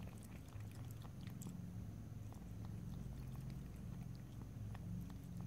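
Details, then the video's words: Domestic cat lapping and licking water. Faint wet clicks come in uneven bursts over a constant low hum, with a few sharper ticks near the start. "ASMR Cat: Drinking, Lapping and Licking Water"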